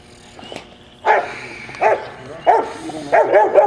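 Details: Rottweiler puppy, 10.5 months old, in a bitework training session on 15 April 2009, giving loud, harsh barks: single barks spaced roughly every 0.7 seconds, then a quick burst of three at the end, with a faint sharp click before.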